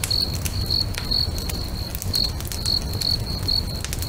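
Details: A high cricket chirp pulses repeatedly beside a sunset lake, briefly pausing midway, while a nearby bonfire crackles with sharp pops and a steady low roar.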